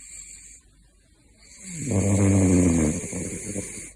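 A sleeping caracal snores with a low, rattling, rasping breath that swells and fades.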